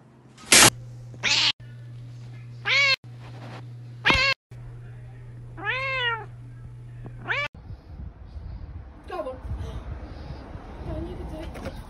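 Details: Domestic cat meowing in a funny compilation: a run of short, arched, harmonic meows, several rising then falling, separated by abrupt edits, over a steady low hum, then fainter meows amid rustling and background noise.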